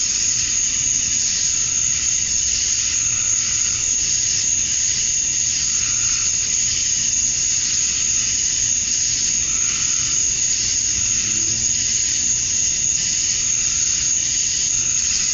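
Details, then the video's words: Summer-dusk cicada chorus in Georgia, USA, males calling to draw females: continuous high hissing buzz, very even, with faint slow swells in the upper tone and nothing else standing out. "Cicadas at Dusk, Summer Night"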